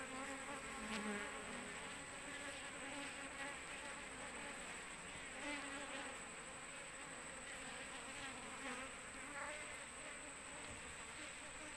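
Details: Asian honey bee (Apis cerana) swarm attached to an oil palm frond as its queen is sought; continuous, busy humming of many bees, with occasional louder buzzes of single insects flying close.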